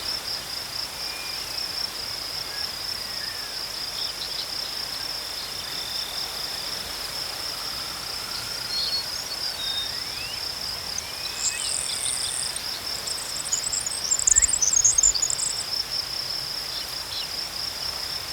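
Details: Crickets chirping in nature: a steady high trill pulsing about four times per second throughout, with scattered faint bird whistles and a brief burst of higher chirps near the middle.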